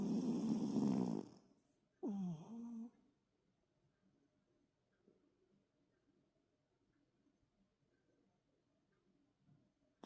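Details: A sleeping toy poodle named Toto, worn out from play, snoring heavily. A loud, rough snore opens, then a second snore rises sharply in pitch before settling into a buzzing tone, followed by long, faint, quiet breathing.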